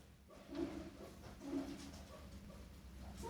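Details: Guinea pigs kept as pets give short, low, nasal horn-like honks about once a second; the owner is puzzled by the strange sound and asks the reason.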